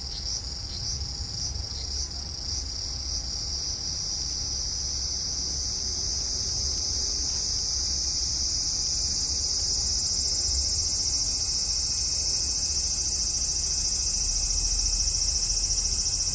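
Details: Cicada calling on a hot evening, 5 August 2012, from a cherry tree in a front yard; a continuous shrill buzzing hiss, even and sustained, swelling a little louder near the close.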